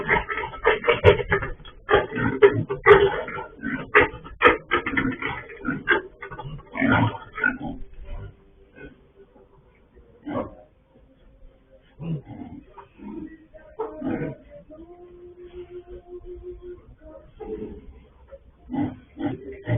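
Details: Escaped sow picked up by a farm surveillance camera: a dense run of short, rough grunts over the first eight seconds, then quieter stretches broken by scattered grunts and a steady humming tone near the end.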